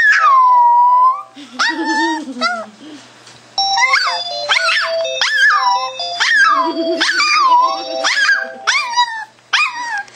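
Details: A Boston Terrier howls in wavering, rising and falling wails along with a ringing telephone, as it does every time the phone rings.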